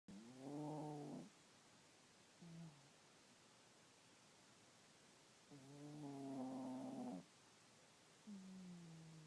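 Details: A small 12 lb dog snoring on a lazy morning indoors: two loud, rasping, tonal snores about five seconds apart, each lasting over a second, with softer short breathy snores in between in a quiet room.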